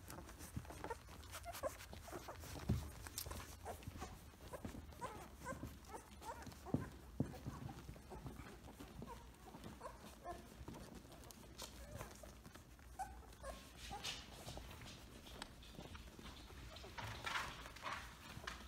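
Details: Close-up recording of Samoyed puppies around two weeks old: a run of thin, repeated whimpering squeaks through the first half, then quieter stretches with rustling, shuffling movement and occasional bumps.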